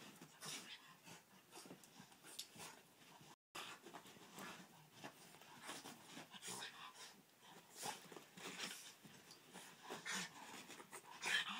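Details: Boston Terrier panting while playfully 'breakdancing'. Rapid, breathy, hissing bursts come irregularly, several each second, fairly soft throughout, with a brief silent gap near the start.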